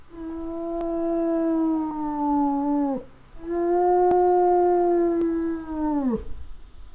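A wolf gives two long, steady howls, each holding one clear pitch before dropping away at the end.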